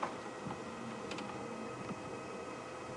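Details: Only faint steady background hiss with a couple of soft ticks and clicks; no animal voice can be picked out.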